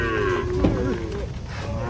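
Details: Agitated cattle being unloaded from a truck give a short, low moo with stacked harmonics, lasting under two seconds, over steady background noise.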